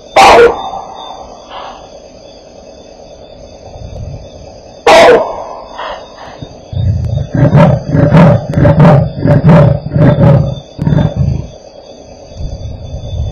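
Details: Alarm calls, then a leopard gives a run of deep, rasping grunts after two sharp, loud barks, recorded at Elephant Plains, South Africa, on 20 April 2008.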